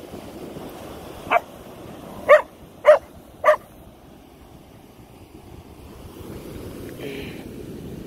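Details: Keeshond named Koda, afraid of feathers, gives four short barks in under three seconds over a steady background hum, followed by quiet.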